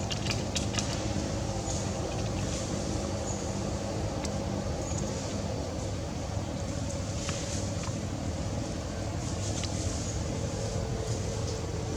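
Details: Continuous low rumble of traffic or machinery outdoors with scattered faint clicks and no animal call.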